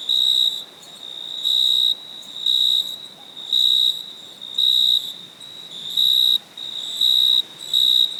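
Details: Crickets at night give a shrill, high-pitched chirping, with loud even pulses of about half a second repeating roughly once per second over a constant fainter trill.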